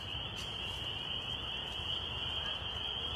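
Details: In mid-February, a dense chorus of frogs gives a steady, high-pitched chirping that blends into one shrill hum.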